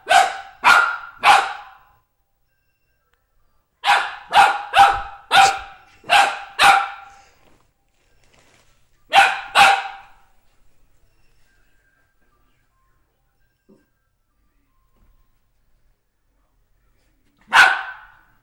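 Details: Golden Retriever that dislikes felt drum beaters barks in bursts: three quick barks, then a volley of six, two more after a short gap and one final bark after a long silence. The barks are sharp and ringing, over a quiet background.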